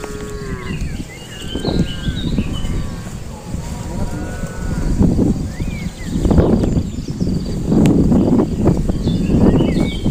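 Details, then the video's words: Cattle known for strange voices, giving several low, drawn-out moos that swell and fade over ten seconds, with a few higher tonal calls and constant rustling, outdoor noise. "kumpulan sapi bersuara aneh, suara sapi"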